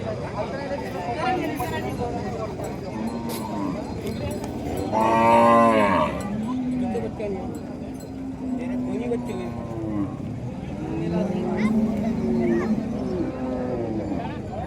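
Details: Gaolao cattle, a desi cow herd in Wardha, Vidarbha, lowing repeatedly: long wavering moos overlap from several animals, one louder higher bellow in the middle, with people talking and a cowbell in the background.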